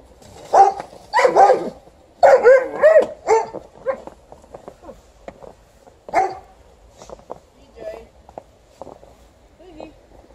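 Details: Alaskan Malamute upset by snow removal, mixing barks with wavering, yodel-like vocal sounds in rapid bursts, then sparser softer barks and grumbles; human speech also present.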